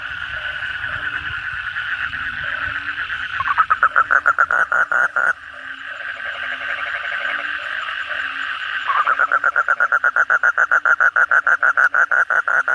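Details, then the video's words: Night chorus of Asian common toads (kodok bangkong) following heavy rain: a blurred background of many callers, broken by a nearby toad's rapid pulsed croaking for about two seconds, which resumes strongly from nine seconds onward. "suara kodok bangkong pada gacor setelah hujan lebat malam hari"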